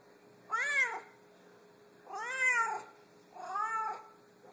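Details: Savannah cat, a very vocal pet, meowing indoors: three drawn-out, arching meows, each rising then falling in pitch, spaced about a second and a half apart, with a steady faint background hum.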